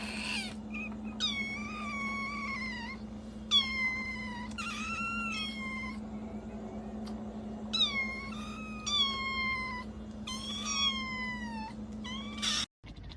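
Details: Kitten giving a series of about eight drawn-out meows, each harmonic-rich and gently falling or wavering in pitch, separated by short pauses, over a steady low hum indoors.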